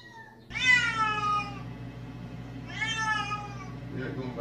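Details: Domestic cat meowing because it wants to go outside: two long, loud, drawn-out meows, each rising and then sliding down, about two seconds apart, with a steady low hum behind them and a brief voice at the end.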